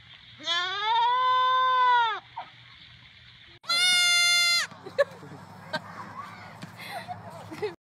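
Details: Goat calling loudly: a long, steady, nasal bleat of nearly two seconds, then a brief pause and a second, higher, shorter bleat, followed by faint clicks and soft background sounds.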